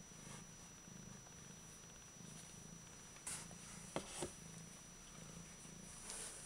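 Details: Bengal cat purring: a soft, low rumble that pulses steadily, several beats per second, with a few faint knocks and clicks in the middle of the recording.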